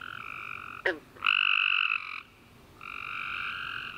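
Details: Nighttime tree frog chorus after a warm rainy summer day, with a sharp falling chirp followed by a loud buzzy trill of about a second, then a brief lull before steady trilling resumes.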